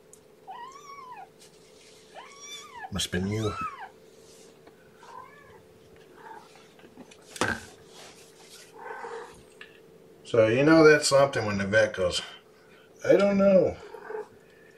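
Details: Kitten back from the vet on 2018-05-02, indoors, gives a run of high, arched meows in the first four seconds, then fainter mews, before a person talks over later meows.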